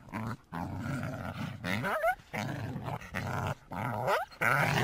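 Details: North American coyote making low, rough, rattling growls in bursts of about a second, with short high whining squeals between them.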